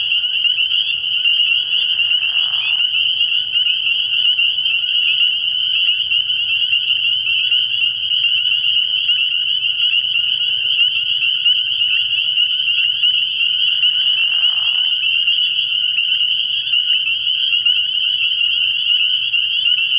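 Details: Dense spring peeper chorus from a frogpond at night early in the year, constant high-pitched peeping massed into a ringing wall of sound, with two short lower raspy bursts near the start and toward the end.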